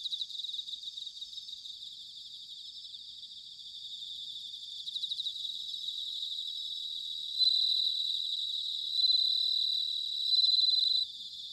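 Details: Bell crickets calling on an autumn night in Sanuki, Chiba, Japan: steady high ringing trills layered over a dense insect background, with three clear louder bell-like bursts near the end, each lasting about a second.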